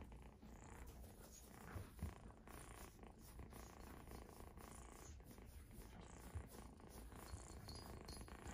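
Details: Sustained deep purring from Exotic Shorthair kittens at a cattery, an even, vibrating drone lasting the whole stretch, with occasional small taps and rustles in a quiet room.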